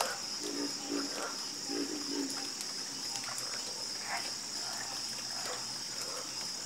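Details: Chorus of croaking frogs, with short throaty croaks bunched early then sparser, set against a steady high-pitched ringing drone.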